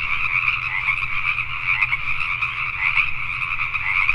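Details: Pacific tree frogs calling at night in Richmond, British Columbia, Canada: a dense, unbroken chorus of overlapping croaks in two steady bands, one middle-pitched and one higher, over a faint low hum.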